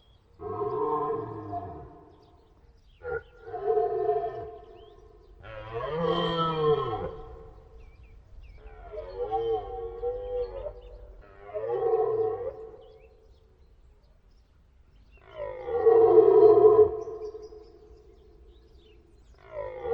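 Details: Stag deer roars in a series of about six bellows of varying length, some short grunting, others longer groaning calls, with the loudest near the end.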